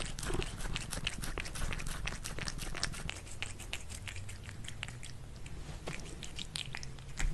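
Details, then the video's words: Cats eating food at lunch: steady, loud crunching and wet chewing clicks packed closely together, slightly thinning toward the end, with a faint low hum behind. "CATS EATING FOOD"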